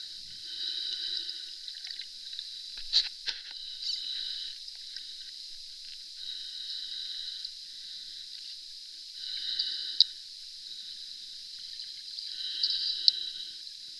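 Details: Underwater squeaks from a pod of Florida manatees at Three Sisters Spring: high, tonal, harmonic squeals come in short bursts a few seconds apart over a steady hiss of water, with a few sharp clicks.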